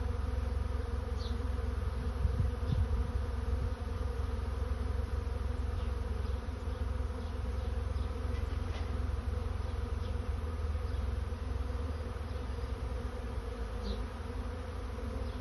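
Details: A swarm of honey bees looking for a new home makes a steady, dense drone. Occasional sharp ticks and passing buzzes rise above it, with low rumbling underneath.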